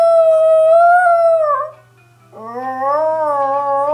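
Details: Female Chihuahua howling to a musical greeting card: one long sustained tonal howl that sags at its end, a brief silence, then a second rising, wavering howl; a low steady hum runs throughout.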